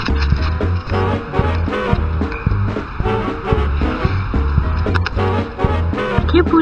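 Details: Rhythmic music with a pulsing bass beat plays loudly, mixed with faint voices and rattling, with no animal sounds.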